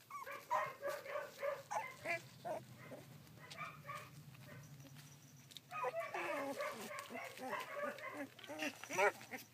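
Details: Collie puppies sixteen days old, filmed 3 June 2013, giving many overlapping high whimpers and squeals in rapid bursts, with a short quieter gap in the middle before the chorus resumes, a low hum underneath.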